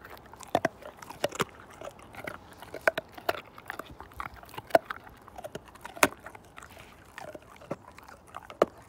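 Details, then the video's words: Siberian Husky named Slim eating a bone; steady series of crisp crunches and snaps from teeth against bone, irregularly spaced with louder cracks every second or so, quiet room otherwise. "ASMR My Husky Tear This Bone Down To Nothing!"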